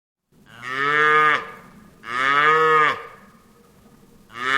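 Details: Cattle giving two long, loud moos with falling endings, followed by the start of a third call at the close.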